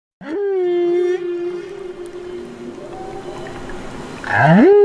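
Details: Baby humpback whale in Banderas Bay, Mexico, giving a long, steady, tonal moan that holds level for about four seconds, then a sharp upward sweep at the end, with underwater hiss in the background.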